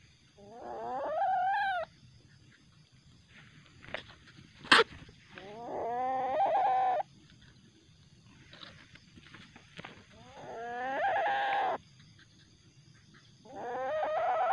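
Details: A young common palm civet (Paradoxurus hermaphroditus), a captured baby later released, gives harsh, wavering, cat-like wails in aggression at night, one every few seconds.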